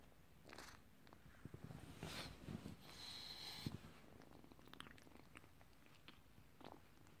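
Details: Short-haired Turkish Angora kitten purring indoors, a low, rough, continuous rumble pulsing steadily, with scattered soft clicks and rustling handling noises on top.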